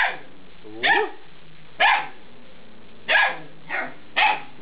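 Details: Eight-week-old Alaskan Malamute puppies being talked to; five separate bright yelping barks, the first with a rising whine-like onset, spaced roughly one second apart.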